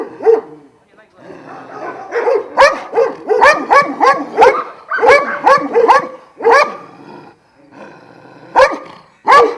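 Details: Šarplaninac kennel in Jasika, Kruševac area, home to twelve dogs of Vujanski origin: irregular deep barks and yelps overlap in busy clusters, with a quieter spell before a final pair of barks.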